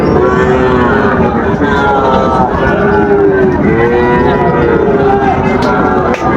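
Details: Sahiwal bull calves at the Raniganj cattle market in Dinajpur on 15 August 2024. Several long, low, wavering moos overlap and rise and fall. Steady crowd chatter and market bustle run underneath.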